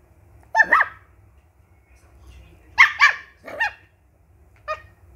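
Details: A two-month-old Indian Spitz puppy gives a few high, sharp yapping barks with pauses between them.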